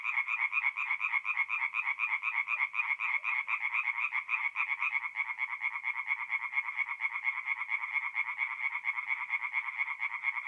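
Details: Many tree frogs call together by night at a forest pond in north-east Italy, mid-April. Fast pulsed croaking rolls on unbroken, overlapping voices forming a continuous rhythmic rattle.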